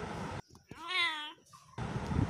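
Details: Kitten giving one drawn-out, steady meow lasting about half a second, set between bursts of a man's voice speaking Bengali.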